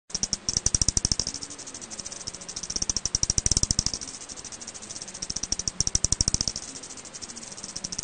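An eastern bent-winged bat gives rapid trains of dry clicks that swell and fade in bursts.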